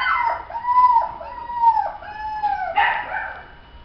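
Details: Toy Poodle giving a series of high, drawn-out whining yelps, each tone arching up then sliding down, about four in under four seconds, ending with a sharper louder cry.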